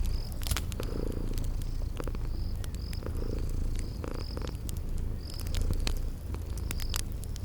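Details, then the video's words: Purring from sleeping kitties beside a crackling fireplace, spring garden setting. Deep continuous rumble with soft breathing surges roughly each second or two, overlaid by crisp crackling pops and evenly spaced high insect chirps. "Relax with Cute Sleeping Purring Kitties by a Crackling Fireplace"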